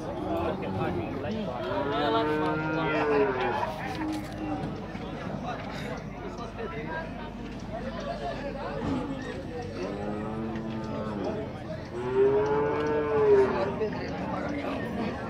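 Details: Nelore cattle being sorted at a cattle fair in Tabira, Pernambuco, Brazil: several long, harmonic moos, roughly two clusters around two and eleven seconds, over steady crowd noise and men talking about prices.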